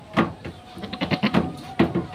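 Goats give short, wavering bleats, with a person's voice talking in between.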